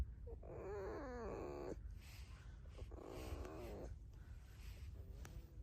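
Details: Pet red fox living in a home with dogs gives soft, wavering, whining squeaks in two bursts of about a second each, pitch wobbling up and down, with a quiet low rumble of room noise.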